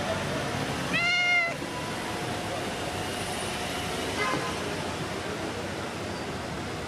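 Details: Friendly street cat outdoors greeting and demanding attention: one loud, bright meow with stacked harmonics that rise slightly then fall. A faint second meow follows a few seconds later over constant urban background hum.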